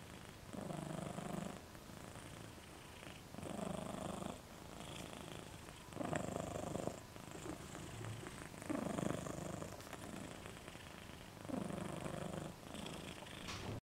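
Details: Sleeping dog Moca snoring with tongue hanging out: raspy, low rattling snores on each breath, repeating steadily about every two and a half seconds, with soft quieter gaps between them indoors.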